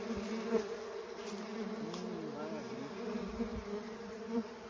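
Mandaçaia stingless bees buzz steadily, their low droning hum swelling and dipping as they fly past.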